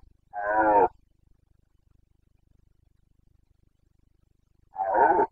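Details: Rutting Carpathian stag, a red deer, in Romania's Bucovina forests, breeding season 2022: two loud, rasping roars separated by about four seconds of near silence with faint low ticking.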